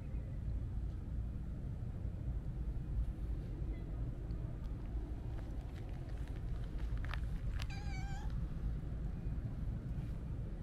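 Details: Siamese mix cat, a stray, gives one short, slightly wavering meow of about half a second near the end, following soft clicks and rustling over a continuous low rumble that resembles distant traffic.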